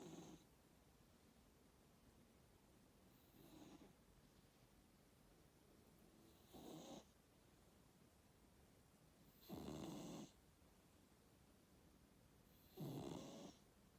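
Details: Domestic cat named Kokos sleeping and snoring indoors: soft, breathy, rasping snores come as short broadband bursts about every three seconds, with quiet pauses between breaths.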